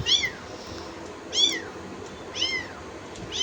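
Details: Kittens giving high, thin, falling mews, one about every second, four in all, over a quiet background.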